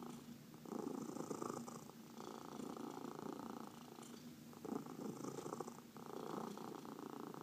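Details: Domestic cat purring while being massaged, one of four pet cats including senior shelter adoptees; steady rumbling purr in breathing cycles, swelling on each inhale and exhale about every one and a half seconds, quiet indoor room.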